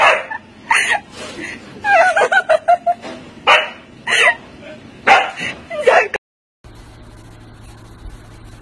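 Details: Compilation footage of husky dogs: a husky gives a run of wavering, yodel-like barks and whines with pitch bending up and down, in quick succession, before an abrupt cut to a quiet hum.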